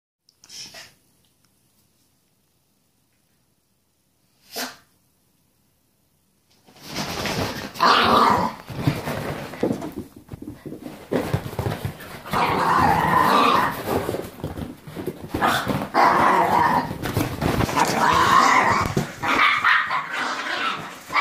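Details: Two Italian Greyhounds, Milo and Gia, play fighting indoors so roughly it almost looks real; after a quiet start with two brief sounds, rough broadband growls and snarling bursts run continuously from about seven seconds on, rising and falling in loudness.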